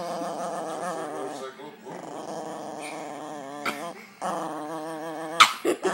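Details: Sophie, a pet dog, growls while play fighting in her favorite game; long vibrating harmonic growls in drawn-out bursts with short gaps, a few sharp yips near the end, a person speaking faintly.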